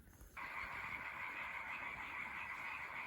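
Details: European tree frogs call at night from a pond in France in a loud, continuous, rasping chorus, with natterjack toads also heard in the distance.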